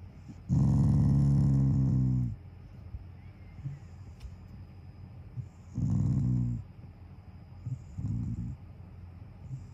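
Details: Shiba Inu named Taiga growling while lying down, an affectionate sound rather than anger. A long low harmonic growl of nearly two seconds, then a shorter one and a brief third rumble, with quiet room background between.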